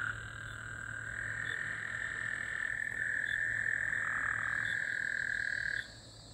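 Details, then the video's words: Night chorus of Gulf Coast toads after rain, recorded Monday, June 24, 2024: a long, sustained, buzzy trill that grows louder and then stops abruptly near six seconds, with faint higher chirps above and a low background hum. "Gulf Coast toads. 🐸 🐸 love hearing them at night 🌙"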